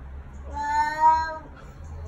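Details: A very vocal male Bengal cat gives a single drawn-out meow, rising then falling in pitch. He is annoyed that he can no longer escape over the back door.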